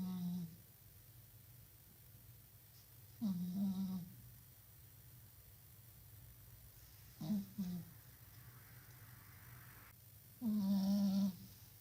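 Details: Sleeping cat snoring in a small room: short low nasal snores, two brief and clipped, one longer and steadier near the end, separated by quiet pauses with a constant background hum.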